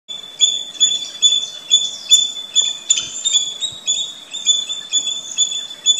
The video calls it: Squirrel Call